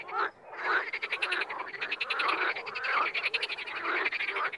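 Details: Many wild frogs croak at once: one brief quiet gap near the start, then a steady wall of pulsed, rattling calls from several overlapping voices.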